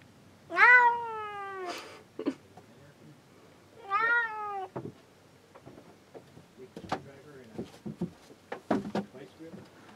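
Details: Cat confined in a boat cabin while men work on the deck, crying to be let out: two loud, drawn-out meows that rise then fall, followed by knocking, clattering and rummaging noises.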